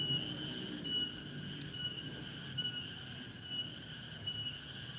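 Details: A cicada (tonggeret) sings on a Thursday late afternoon in a village, a steady, high, ringing drone that swells in soft pulses about once a second; its song is taken to mark that evening has come.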